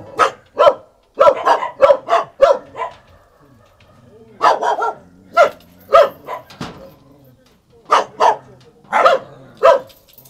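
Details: A black-and-tan Jindo dog, filmed around mating, gives short, sharp barks in uneven bursts while a voice talks at times.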